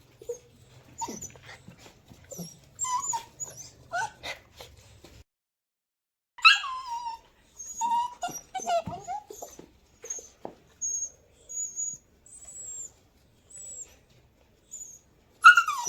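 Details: Young puppies making soft, scattered whimpers and brief squeaky yips, some drawn-out whines sliding downward, with long quiet spaces and faint low rumbling early on.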